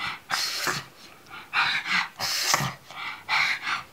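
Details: A pug scared of a pillow snorts and huffs in a small room. The short, breathy, wheezy bursts are separated by brief pauses.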